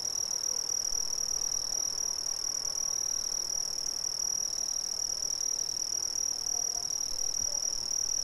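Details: Crickets in Brazil keep up an unbroken, high, metallic trill at an even loudness, with a fainter, softer tone just beneath it and a quiet, hissy background.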